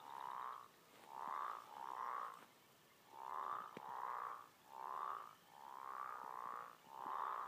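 An American bullfrog calls in a steady run of low, booming croaks, each lasting under a second with brief gaps between. The throaty, droning notes carry clearly over a quiet background.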